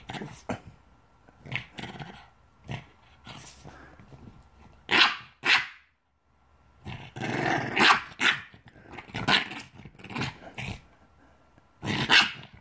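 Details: A Boston Terrier reacts to beer it apparently dislikes, with sharp, irregular barks mixed with low grumbling growls.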